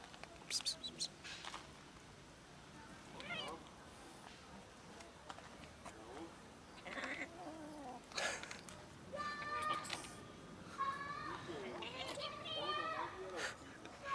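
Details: Hungry kittens climbing down a garage toward food give repeated overlapping meows, thin and tonal with stacked harmonics, some sliding up then down, growing busier in the second half amid rustling and faint background noise.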